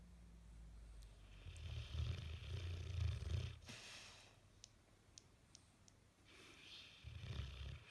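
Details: Bullmastiff asleep, face twitching, snoring for ages; a long, low rattling snore builds over about two seconds, fades into a quiet gap with soft clicks, then another rumbling snore begins.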